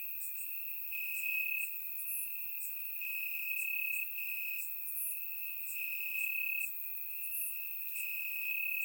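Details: Crickets chirping in grass at night in Bulgarian summer warmth, surround microphone; a constant high trill rising in loudness in bursts of about a second, with repeated short higher insect notes above.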